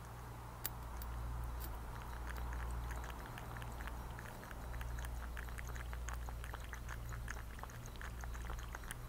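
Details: Thirsty cat drinking water, lapping in a rapid run of soft, sharp clicks, roughly three to four per second, over a constant low electrical hum.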